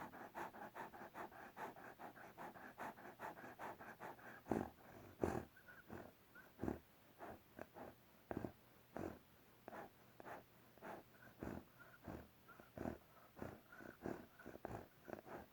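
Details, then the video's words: Snoring from a sleeping bear: long stretch of quick, breathy pulses, a few louder snorts standing out, faint whistled tones threading through the later part, over a steady low hum. "Bear snoring whistling"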